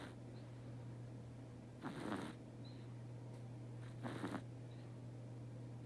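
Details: Teto the cat dozes and snores: two hoarse, breathy snores a couple of seconds apart, with a faint steady hum filling the quiet room.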